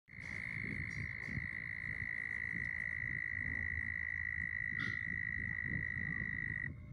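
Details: A frog on a rainy day gives a long, unbroken high trill that holds one steady pitch for several seconds.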